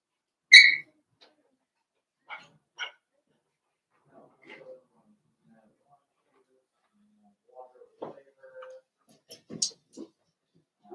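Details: Cavalier King Charles Spaniel puppies, five blenheim littermates in an indoor pen at Red Barn Cavaliers, give brief high squeaky yips spread through a quiet room, with one sharp opening squeal and a few soft whimpers.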